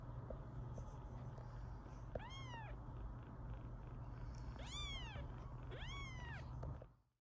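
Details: British Shorthair kittens, a litter of five born on 9 April 2024: three clear high, arching meows, each rising then falling, spaced about a second or more apart over steady low room hum.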